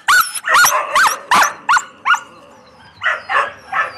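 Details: Yakutian Laika puppies bark and yip in short, sharp bursts, about six quick calls followed by a short pause and three softer yaps.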